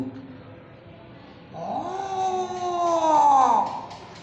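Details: A domestic cat in Bangladesh, deliberately teased into anger, gives a drawn-out, rising, roar-like yowl that holds steady before breaking off.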